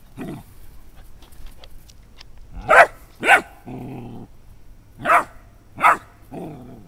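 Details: Young Dobermann puppy meeting a beach ball for the first time, giving single sharp barks in pairs with low growly grumbles after each pair, a few soft taps and rustles between.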